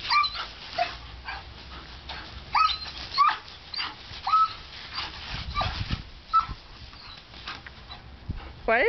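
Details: German Shepherd puppy Boba, a female, jumping into the water from a hose she loves, lets out repeated thin, high whines over continuous spraying water, with a person's voice near the end.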